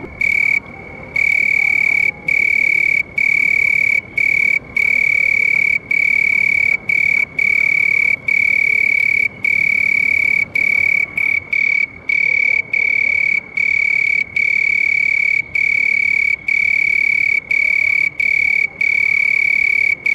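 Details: A house cricket sings a loud, ringing monotone trill, sustained in long stretches separated by quick silent breaks at a fairly even pace, over a faint hiss.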